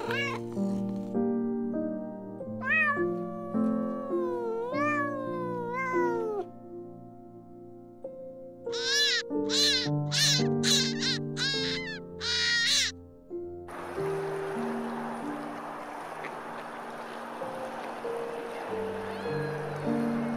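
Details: Cat meowing: a series of long, wavering, bending meows, then a run of short quick rising meows, set over soft sustained music that later turns to a broad noisy wash.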